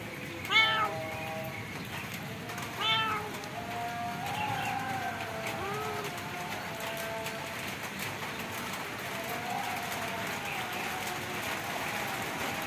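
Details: Two clear meows near the start from a stray cat with severe scabies encountered while feeding street cats, followed by softer faint mewing and a persistent noisy background.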